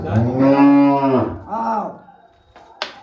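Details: A cow that has just calved lets out a loud, deep, drawn-out moo lasting over a second, then a shorter, softer second moo. A sharp click ends the recording.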